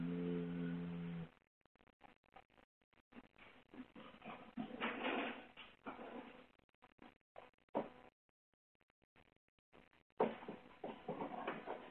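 A brief burst of music opens, followed by irregular rustling and handling noise with no clear animal voice.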